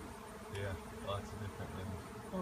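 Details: Honey bees swarming in a frenzy after being cut out of a tree, landing on limbs; steady low droning hum with faint human voices over it.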